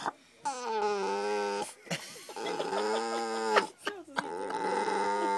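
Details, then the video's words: Dog Maja 'talks' at the dinner table for attention, July 2011: drawn-out tonal whines that bend up and down, separated by brief gaps and soft clicks, with faint room sound behind. "Dog Maja talking"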